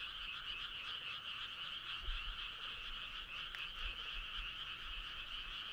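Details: Clear chorus of frogs on a summer night: a dense, steady high trilling from many animals in two pitch layers, with only faint background noise.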